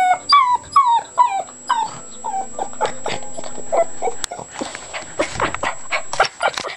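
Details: Puppy making weird noises: a run of short, bright, falling whimpers and yips about twice a second, giving way to softer scuffling and breathy rustling in the second half.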